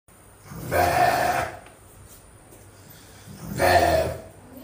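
A sheep gives two harsh, nasal bleats, each about a second long, with a pause between.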